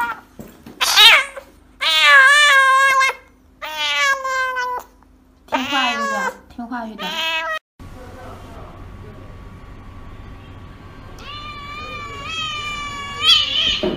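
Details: Cat meowing while getting an injection: loud, drawn-out wailing meows with strong harmonics, five or so in the first half, a quieter stretch, then a long rising-falling meow near the end; a person speaks briefly.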